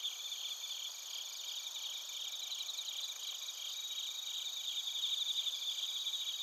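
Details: Narita, Chiba, Japan: bell crickets and other crickets sing in an unbroken high trilling wall, recorded using a TASCAM Portacapture X8. Rapid bell-like pulses strengthen in the final seconds over the steady buzzing background.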